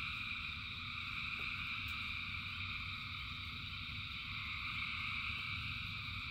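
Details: Thousands of frogs singing in rain: a dense, unbroken chorus of overlapping trills in three steady high bands, over a low rumble of rainfall with a few soft drip clicks.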